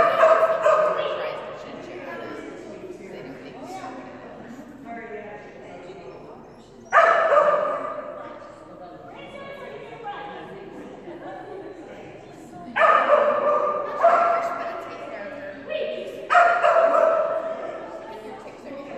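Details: Female Kerry Blue Terrier Phenix at agility class; a long stretch of scattered yaps, then several loud, ringing bark bursts, with people talking nearby.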